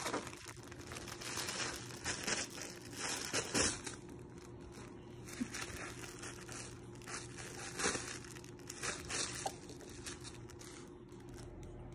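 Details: Crinkling and crumpling noises in a small indoor room, with soft rustles and no animal voice.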